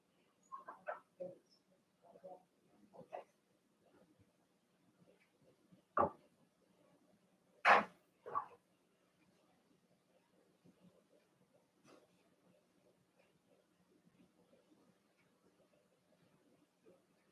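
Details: Cavalier King Charles Spaniel puppies Cooper, Conner and Jenny, Ruby and Blenheim coats, born 06/09/2022, overnight on a puppy cam: a cluster of short whiny yips early on, then scattered clicks and soft rustling in a quiet room.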